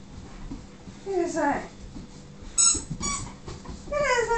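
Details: Excited Siberian huskies reacting to a squeaky toy: descending whimpering whines in short bursts, a sharp toy squeak in the middle, then a longer falling whine at the end.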